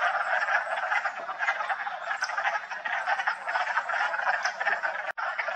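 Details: Wood frogs gathered at a vernal pool in West Hill Park on March 14: a thick, continuous chorus of overlapping low clucking croaks, steady throughout, briefly interrupted by a sharp click near the end.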